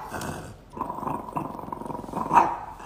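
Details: A female dog, fed up with a camera held close to her face, gives a low, rumbling growl of rapid pulses that runs nearly three seconds and swells louder toward the end.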